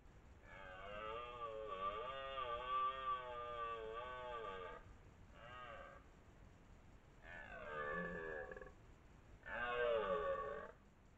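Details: Dominant twelve-point red deer stag roaring during the 2023 rut near Lartigau, Milhas, Haute-Garonne, France: a long harmonic roar of about four seconds, a short burst, then two more rough, falling roars in a quiet background.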